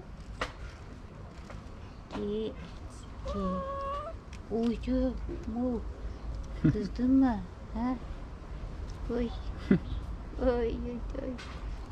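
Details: A tabby cat on a wall, rubbing and asking for affection in the morning, gives a series of short, soft meows, some rising and falling.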